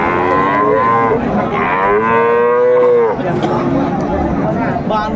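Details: Friesian bull calf at Raniganj cattle market, Dinajpur, 23 December 2024, giving a long loud moo that swells and falls off, with market crowd noise and voices behind.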